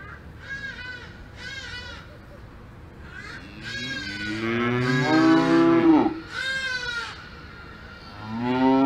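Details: Cows on a farm in the Alps mooing repeatedly: several short, rich-toned calls, then a long, loud, wavering moo that swells and drops away, followed by more overlapping lowing from other animals.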